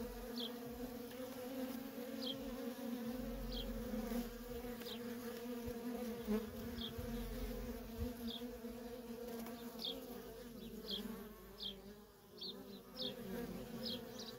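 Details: Worker honey bees in nonstop traffic at a feral colony: a steady, low, droning hum with an overtone, while short high chirps repeat roughly every second over it.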